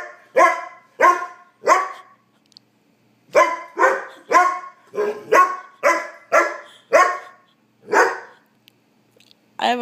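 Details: Demanding his dinner, the puppy dog Trigger barks repeatedly: three quick barks, a brief pause, then a steady run of eight or so sharp barks about every half second, with faint speech in the background.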